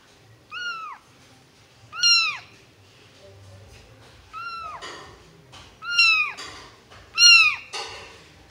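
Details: Two orange tabby kitten brothers meowing for attention give high, thin meows that arch up and slide down, repeated every second or so.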